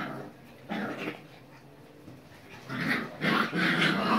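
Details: Basset Fauve de Bretagne puppies of the Viersenhoeve kennel: a short harsh growling burst, a quiet pause, then a cluster of rough, noisy yaps and grumbles toward the end.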